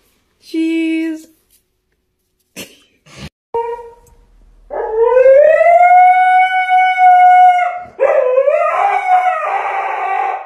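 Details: A dog from a funny pet compilation gives a few short yelps, then a long rising howl held steady for several seconds, ending in a rougher wavering cry.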